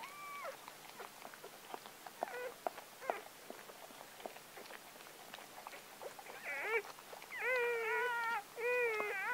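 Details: Gordon Setter puppy just born, the seventh of a litter of nine delivered by four-year-old Clea on October 23, 2014. Scattered faint squeaks open the clip, then longer wavering whines cluster near the end.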